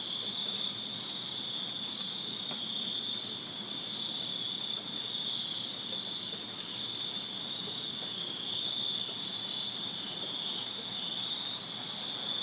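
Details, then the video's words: A steady wall of high, shrill cricket chirping fills a Virginia backyard on a summer night, unchanging in level, with a quieter glassy layer higher still and a soft low hum underneath. "Crickets Chirping Summer Night in Virginia"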